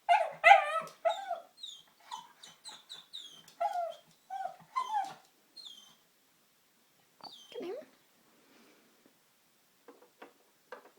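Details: Pug puppy, eight months old, reacting to a vacuum cleaner indoors: a burst of high, whiny whimpers and short yips, several per second, then sparser squeaky whines fading out, with a man's voice calmly praising afterward.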